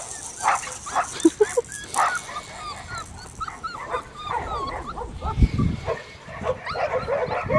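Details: Male blue merle Australian Shepherd puppy, Matilda's litter, at an Oklahoma breeding farm, whimpering and crying in a run of short, high, wavering squeaks, some yipping bursts at the start, over soft rustling and low handling thumps.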